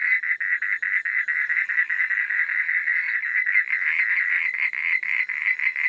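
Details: Frogs calling after dark in a dense chorus: quick, regular pulses of raspy croaking at a mid pitch, with clearer rhythmic beats and short gaps at the start and end.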